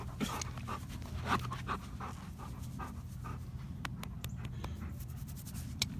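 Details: A black former stray dog, now healthy after adoption, pants in short rhythmic breathy bursts, with a few sharp clicks and taps and a low steady hum underneath.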